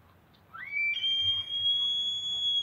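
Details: A bull elk bugles on a cool autumn morning, a rising whistle that climbs and then holds steady on a piercing high note.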